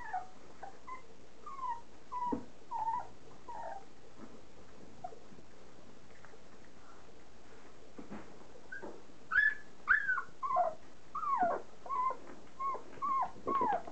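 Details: Standard poodle puppies, three and a half weeks old, at their first meal of soaked mushy kibble; high thin whimpers and squeaky yips rise and fall in scattered bursts, with a quiet gap midway and a soft murmur of a person's voice.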